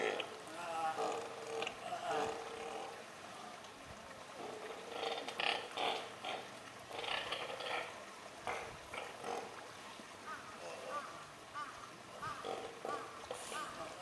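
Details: A newborn Steller sea lion pup at an aquarium gives its first cries on June 4 at 8:45 in the morning, wavering bleats repeated over background voices; sex unknown, 15–20 kg, about 1 m long.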